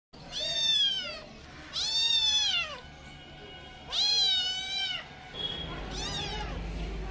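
Young kittens mew in shrill, arched cries that climb and then drop away, each lasting under a second. Four such meows come in irregular succession, with a faint low hum underneath.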